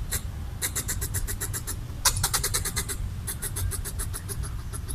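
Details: Red squirrel chattering as a threat display while eating coconut bits; a fast, even stream of dry clicks runs nearly nonstop over a low background rumble.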